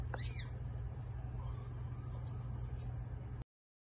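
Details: Mother cat giving birth to eight kittens: one bright, high arched mew with rich overtones in the first half second, then a steady low hum and quiet room noise for the rest.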